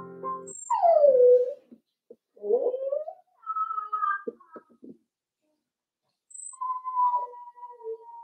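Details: Four-week-old Cavalier King Charles Spaniel puppies in an indoor pen at Red Barn Cavaliers; a falling whine, then rising whimpers, a steady high tonal cry, a few clicks and a long drawn-out whine, with a faint low hum at the start.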